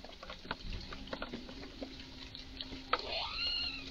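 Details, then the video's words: Highly agitated squirrel calling in a garden; scattered sharp clicks and ticks, then a rising, drawn-out whining cry at the end, with a faint steady hum underneath. "Eichhörnchen macht seltsame Laute"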